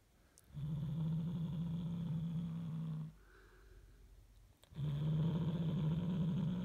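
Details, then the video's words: Deep, sustained growl from Hulusi, a house cat protecting its toy from other cats at home; two long unbroken rumbling stretches separated by a brief pause with soft speech. "Oyuncağını koruyan kedi Hulusi hırlıyor"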